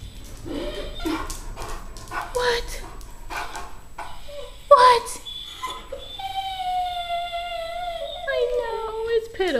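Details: Blue Weimaraner, a foster rescue dog, impatient and hungry while waiting for soaked food at meal time: short yelps and whines, then a long, high, wavering howl with a rich tone that slides lower near the end; a person talks early on.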